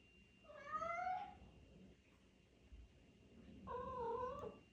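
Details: Indoor Siberian cat singing to say it is time for a walk, giving two separate meows about three seconds apart, the first bright and bending downward, the second flatter and slightly wavering, with a quiet room behind.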